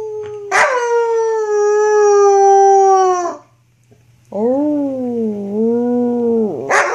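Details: Young female wolfdog about six to seven months old, filmed in 2013 while playing rough, gives two long harmonic howls, the first steady and level, the second wavering, with a short pause between and faint background music.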